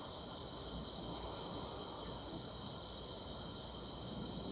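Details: Grass insects calling on a summer night, a steady unbroken high shrill hum with a bright tone band and a fainter higher band, no clear pulses, over a low rumbling background hiss.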